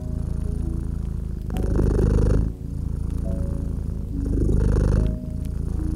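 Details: A domestic cat by a crackling fireplace purrs in a low, steady rumble that swells and fades with each breath.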